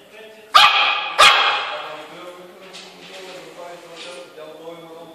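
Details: Yorkshire Terrier meets its mirror image for the first time, giving two loud, high yapping barks about half a second apart, then low murmuring and soft whines indoors.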